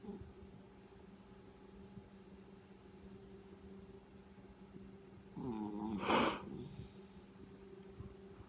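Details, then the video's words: Yorkshire Terrier Chewie snoring while asleep, recorded last year: quiet, steady breathing noise, then one loud rasping snore with a buzzy, layered onset that swells into a harsh, noisy burst before fading, over a constant low electrical hum. "My dog snoring"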